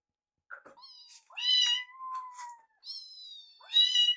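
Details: Rescued kittens at a foster home during a meal, Yuki eyeing neighbour Piyo's food. Long, overlapping high meows, one held steady and level for about a second, others rising then falling, in a quiet room.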